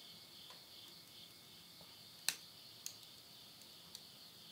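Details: Insects calling at midnight at the end of summer, September 2020, in the countryside of Yurihama, Tottori, Japan: a steady, high, shimmering trill runs throughout, with sharp crackles and pops from wood burning in a stove.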